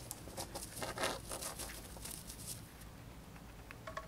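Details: A pet female hamster eating dried corn in an ASMR-style indoor recording: a burst of quick, sharp crunching clicks in the first two and a half seconds, then quieter scattered nibbling against a soft low hum.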